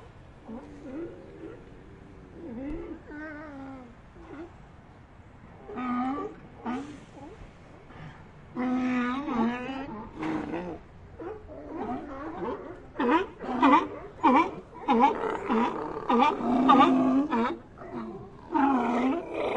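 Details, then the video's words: Sea lion colony calls: scattered wavering bleats at first, building into a dense, overlapping chorus of loud harsh barks and moans from many animals in the second half. "Ambient Sea Lions"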